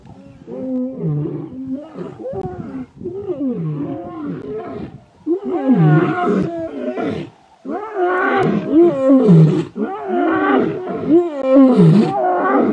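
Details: Young male lion coalition in the Masai Mara's Ol Kinyei Conservancy, fighting to take over their father's territory: a continuous run of harsh, rising and falling snarls and growls, loud and overlapping, several animals vocalising in quick succession.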